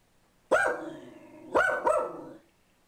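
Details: Boo Radley the pug mix, on a bench when an ad man shows up at the door, gives one loud bark, a pause, then two quick barks in a row.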